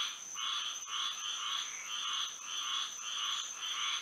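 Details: Frogs singing at night under moonlight in Florida, a dense chorus of rapid pulsed croaks in bands around one to four thousand cycles, swelling in repeated bursts, with a steady high insect-like whine running throughout.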